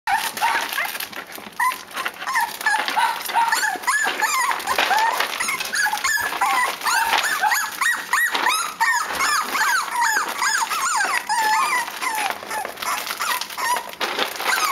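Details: Cavalier King Charles Spaniel puppies, a litter from a dam named Thelma, whimpering and squeaking nonstop in a busy overlapping chorus of high, wavering cries with no pauses.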